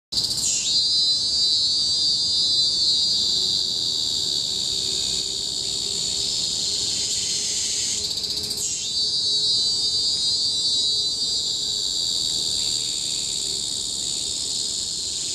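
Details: Chorus of cicadas in tropical forest on Bukit Timah Hill, Singapore, 2017: a deafening, continuous high shrill drone with sweeping surges near the start and again around eight seconds, then a steady monotonous hum to the end.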